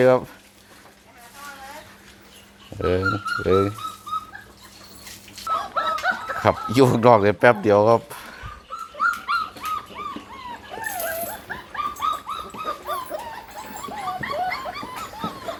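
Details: Hungry Pit Bull puppies whining for food: many high, thin squeals and whimpers, some rising and falling, tumbling over one another in quick irregular bursts, mixed with occasional human voices.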